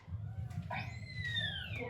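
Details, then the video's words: A pilot whale gives a clear, high, dolphin-like whistle that slides gently downward over a low rumble, a call whales use to communicate with each other. Pilot whale. "But a different kind of whale, pilot whales, sound like this."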